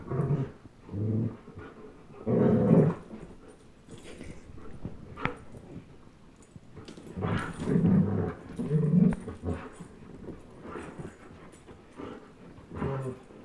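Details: German Shepherd Chase, 10.5 months old, and one-year-old Old English Sheepdog Blizzard in a game of tug of war; intermittent low growls in short bursts, with quieter panting and movement noise between.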